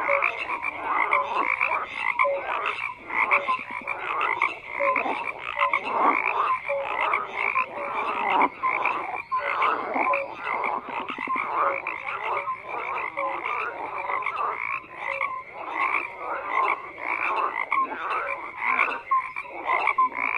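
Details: Dense, unbroken chorus of croaking frogs, rapid rattling calls packed tightly together over a long stretch, with occasional brief tonal notes standing out.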